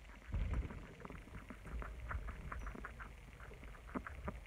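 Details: Several pet guinea pigs munching lettuce: rapid, uneven crunching clicks and soft bumps, with some louder low thuds near the start.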